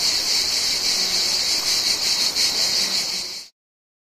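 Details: Mediterranean cicadas in summer: an intense, high, shrill buzz with quick rhythmic pulses that stops abruptly after three and a half seconds, followed by silence.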